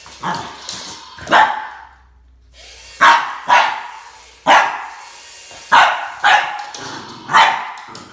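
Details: Boston Terrier barking at a snake, sharp loud barks repeated about every half second to one second after a brief pause, with a low hum in the background.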